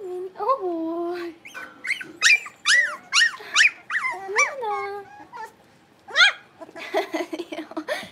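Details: Young blenheim Cavalier King Charles Spaniel puppies in an indoor pen, one of five littermates at play, give a string of high yelping whimpers, some bending upward, then short squeaks after a brief pause.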